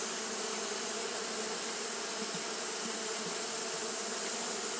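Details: Japanese honey bees fanning nonstop on a hot day: a steady, dense droning hum with a low buzzing core and layered overtones, under a constant bright high-pitched hiss.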